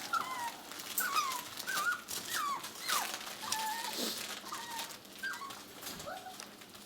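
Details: Six-week-old puppies whimpering indoors: a run of thin, high squeaks that slide downward, each short and repeated roughly every half second with small irregular gaps, over faint room noise.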